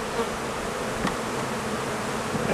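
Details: Honey bees at a summer apiary pavilion holding several colonies while beekeeping work goes on; a dense, steady buzzing hum fills the whole stretch without pause, with a couple of brief louder swells.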